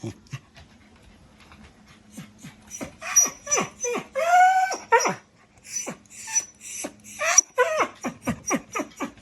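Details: Shiba–Beagle mix dog, indoors, fascinated by something on top of the refrigerator, whimpering: several high, wavering whines that slide downward, bunched in the middle and near the end, mixed with sharp clicks and short bursts of snuffling and movement.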